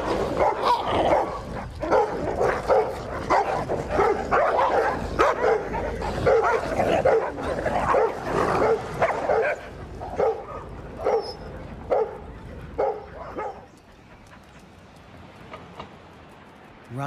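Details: Two stray dogs, a pitbull and a rottweiler, clash over a female to settle dominance. Rapid harsh barks and snarls in quick bursts, thinning to scattered yelps before falling quiet near the end.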